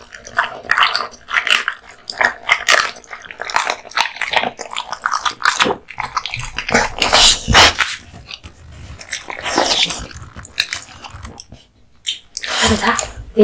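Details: Male American Bully (Pit Bull) dog, indoors, eating raw meat and bones: wet chewing, crunching and biting in irregular bursts, with short gaps of quiet and brief human voice near the end.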